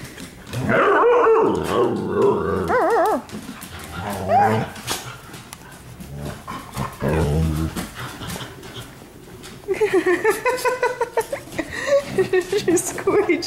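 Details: Several pet dogs at indoor night-time playtime in a living room, 15 May 2014: wavering whines and growly vocalizing, then a run of quick, yappy barks near the end, mixed with a person talking throughout.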